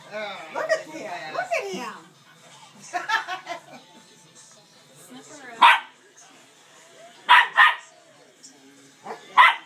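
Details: A dog named Chase barks at his sister Bright Eyes, trying to get the stubborn dog to play. People talk first, then come short, sharp barks, one single and a quick pair, with another near the end.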